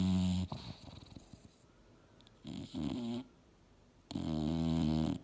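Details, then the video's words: Sleeping English Bulldog Mildred, dreaming hard on the couch, makes gravelly nasal snores: one ending at the start, a short snort midway, then a longer rumbling snore, with quiet breathing in between. "SNORING BULLDOG SLEEPING & DREAMING HARD!!!"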